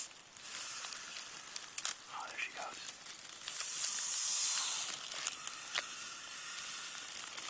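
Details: Eastern hognose snake (Heterodon platirhinos), a harmless species of the northeastern United States, playing dead; a broad, breathy hiss swells for about a second and a half midway, amid soft rustling and faint voices.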